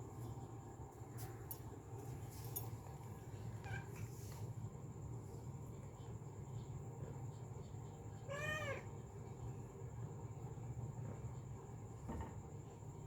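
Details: Female cat calling sweetly gives a single rising-then-falling meow about two thirds through, set against a steady low rumble and a faint constant high-pitched whine.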